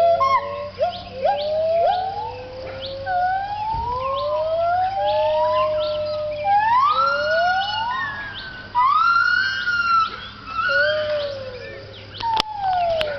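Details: Gibbons at a Thai wildlife rescue centre give their dawn chorus around 6am at sunrise, overlapping voices with long rising and falling whooping notes that swell and sweep like sirens.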